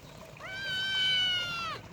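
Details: Himalayan kitten giving one drawn-out, steady meow lasting over a second, with a rich, even tone that fades at the end; quiet background.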